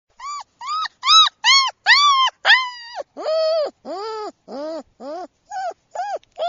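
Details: German Shepherd puppy, a silver sable male named Gracie's Mr. Pine Green, gives a rapid series of loud arched whines and yelps, about two per second, some dropping lower and drawn out midway, with clear harmonic overtones.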